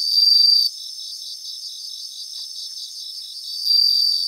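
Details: Grassland bell crickets: a brief loud ringing burst opens, followed by three seconds of rapid, regular pulsed chirping from the chorus, before a second bright ringing phrase returns.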